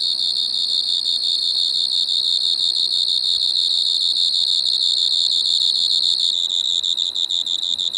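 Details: Pteronemobius lineolatus singing at Maggia, Switzerland, on 1 September 2023, recorded with an ultrasound detector: a loud continuous high trill, finely pulsed, with a ringing overtone; pitch drops slightly near the end as pulses become more distinct.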